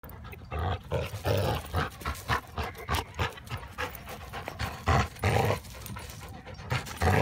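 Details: Two dogs, Hildy (yellow) and Harvey (chocolate), best pals tussling in fun over a tennis ball; gruff, low growling bursts come in quick uneven pulses with panting breaths between them.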